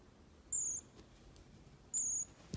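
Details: Young pygmy marmoset being groomed with a brush calls twice with long, very high, level whistles about one and a half seconds apart, each tailing off slightly at the end.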